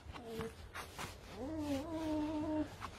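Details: Red fox being brushed and scratched by a person, giving a whining call: a short tonal note, then a longer, steady, slightly wavering whine held for about a second, with a human voice talking softly around it.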